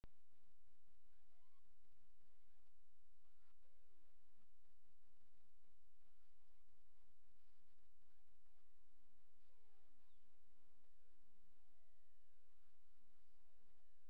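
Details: Young male coyote pups, newly able to walk and open their eyes, give a steady stream of high, thin whimpers and squeaks, many sliding downward, overlapping one another over a low rumbling background hum.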